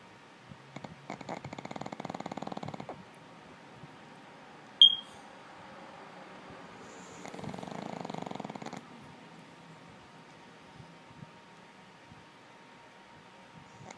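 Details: Dog named Lulu asleep and snoring indoors: two long rasping, breathy snores about two seconds each, roughly five seconds apart, with a brief sharp click between them in an otherwise quiet room.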